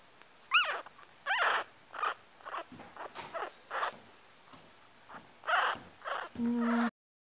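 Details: Yorkshire Terrier puppy crying: a rapid series of short, high whimpers and squeaky yelps about every half second, including a couple of bending, falling whines early on and a steadier drawn-out whine at the end, over a faint constant high hiss.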